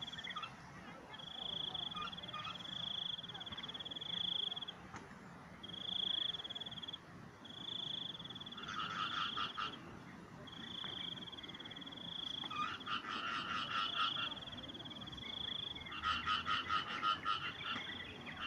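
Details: Frogs calling outdoors: bursts of rapid, rattling pulsed croaks near nine, thirteen and sixteen seconds, set against a steady high-pitched trilling drone that runs through most of the recording, with a low rural background hum.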